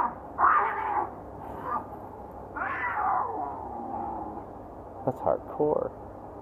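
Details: Cats fighting on a wall near the Acropolis in Athens, Greece: drawn-out wavering yowls rising and falling, three main wails with shorter sharp cries near the end, people talking nearby.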